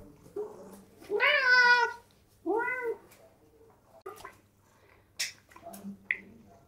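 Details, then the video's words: Domestic cats at a breakfast table indoors: one long wavering meow with rich stacked harmonics near one and a half seconds, then a shorter second meow, followed by faint clicks and soft small sounds in a quiet room. "Cats at Breakfast Table"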